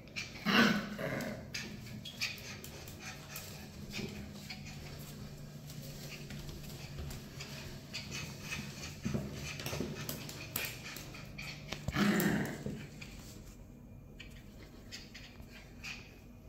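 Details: Shayna, a black and silver Miniature Schnauzer born 21/11/2022, at home in Cape Town, South Africa, being pulled across tiles indoors: a low, steady rumbling growl with louder gruff bursts near the start and around twelve seconds, plus scraping and shuffling noises.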